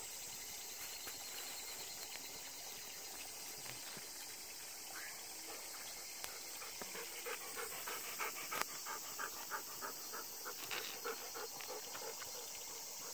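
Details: Golden Retrievers panting on a short ten-minute walk in the countryside during Obon, under dark clouds with occasional thunder; rapid rhythmic breaths, about three per second, over steady background hiss.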